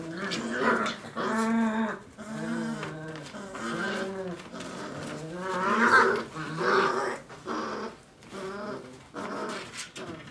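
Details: Five-week-old Dogo Argentino puppies making a run of short, harmonic growls and whining yelps that rise and fall. The bursts come in quick succession, with brief pauses and some background noise between them.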